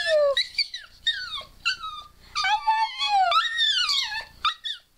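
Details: Female pet dog vocalizing in a way her owner hears as saying "I love you", high wavering howl-like whines in short phrases that slide up and down, prompted by the owner's squealing in the background.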